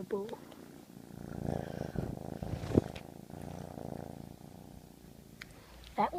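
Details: Pet cat purring indoors, a steady low rumbling purr running through most of the clip, with brief bursts of a person's voice at the start and end.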